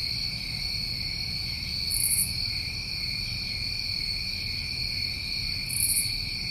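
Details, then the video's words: Summertime crickets recorded in New England, an unbroken shrill trilling chorus holding steady throughout, with two short higher chirp bursts about four seconds apart over faint low rumble. "Tinnitus Masking With Crickets"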